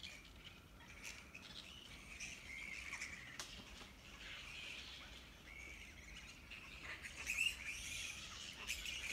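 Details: Grey-headed flying fox camp at Wolli Creek, Sydney, filled with rapid, scratchy squeaks and chattering that swell and fade, with a louder screechy burst near the end and faint background rumble.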